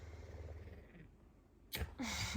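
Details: Hungry pet puma Messi gives a deep pulsing morning purr while headbutting and begging for food; the low rumble fades after about a second, then a person speaks.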